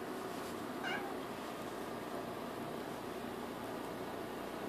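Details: A female pet kitten, sitting up and looking around a room, gives one short, clear meow with a bright harmonic tone, then falls quiet under a constant broadband hiss.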